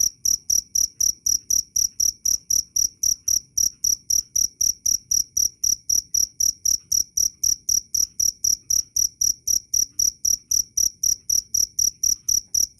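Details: Cricket chirping loud and clear, a steady run of sharp, high, ringing chirps repeated about four times per second without a break, with faint low rumble underneath.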